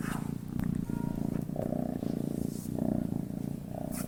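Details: Relaxed cat purring as it sleeps, a soft low rumble pulsing in regular waves tied to its breathing, steady and unbroken, with faint background clicks.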